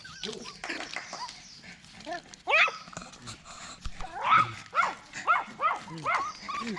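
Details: Poodle giving birth to seven puppies of identical color: a series of high, wavering whimpers and squeaky yelps repeating roughly every half second in the second half, with faint human voice in the background.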